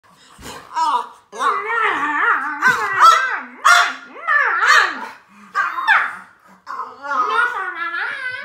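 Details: French Bulldog in a back-and-forth indoor exchange, producing long wavering, moaning grumbles that rise and fall in pitch across several drawn-out bursts, almost like talking.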